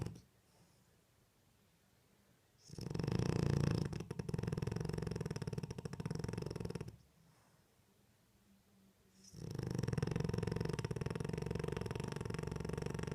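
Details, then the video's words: French Bulldog snoring while asleep with its eyes open indoors: two long rumbling, buzzy snores of about four seconds each, low and rattling with fine rapid pulses, separated by quiet pauses of breath. "French Bulldog sleep with open eyes and snoring"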